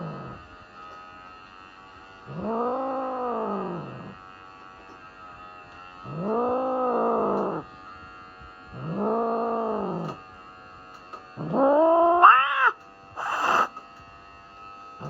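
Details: Norwegian Forest Cat at a vet visit for a health check and its regular trim, clearly unhappy about the grooming: drawn-out, arching wails roughly every three seconds, then shorter, higher cries near the end, over a steady background hum.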